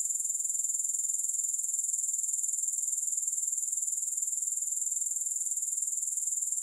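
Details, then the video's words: A thin, very high insect trill from grasshoppers: fast regular ticks fused into one unbroken shimmering hum, with no music. "Grass Hopper Sounds"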